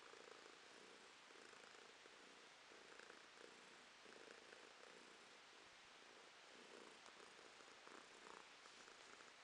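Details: A female domestic cat purring in November 2022, a soft continuous rumbling purr with gentle rhythmic pulses of breath, steady and low in volume throughout, indoors with no other sounds.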